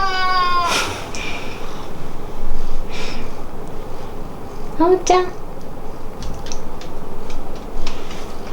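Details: Pet cat Hamu meowing at home, its call changing between the parents and the daughter it adores; a long, clear meow that falls away opens the recording, then a shorter meow follows around five seconds, with human talk between.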